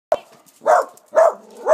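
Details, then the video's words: Husky named Jane, also called Zhul'ka, playing with Mitsos: three loud drawn-out howl-like vocal calls, each about a quarter second long, repeated at roughly half-second intervals after a sharp opening yelp. "Jane ( Zhul'ka) and Mitsos playing together =)"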